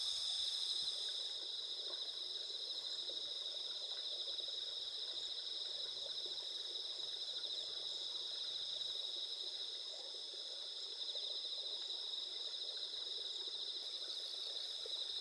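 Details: Chorus of autumn insects on the clear night before the mid-autumn full moon, 20 September 2021, in rural Asuka village, Japan: sustained high-pitched pulsing trills from many callers, steady throughout, with faint low rumble underneath.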